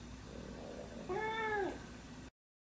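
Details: Domestic cat giving a single clear meow of about half a second that rises then falls in pitch, heard over a steady low background hum.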